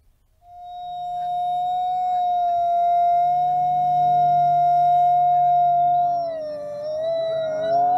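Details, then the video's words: Wolves at the Wolf Conservation Center in South Salem, New York, where all 50 wolves howl together: a single smooth, sustained howl holds one steady pitch for about six seconds, then wavers and dips near the end, over a low steady hum. "When All 50 Wolves Howl"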